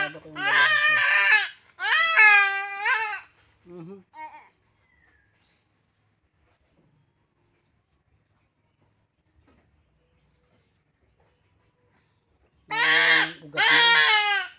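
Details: Goat under castration bleating in short bursts: two harsh, quavering bleats and a weak fragment, then about eight seconds of near silence, then two more loud bleats close together.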